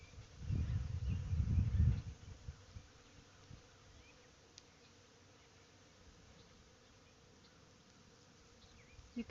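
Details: Busy honey bees working a white blossom tree on a sunny, 70° spring Friday give a low, droning buzz that swells for a couple of seconds, then fades.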